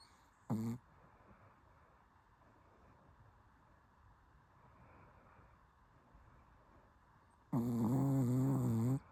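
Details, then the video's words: Shih Tzu asleep and snoring: a short rasping snore at the start, about seven seconds of quiet room, then a longer loud buzzy snore with steady low harmonics near the end. "비글 같은 시츄가 코골이를 한다고요???"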